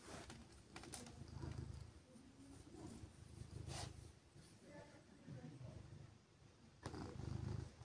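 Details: Siberia, a female silver tabby cat, purring while being gently petted on a chilly morning; a low, rumbling purr swells and fades in rhythmic breaths about every second and a half, with soft rustling and handling noises.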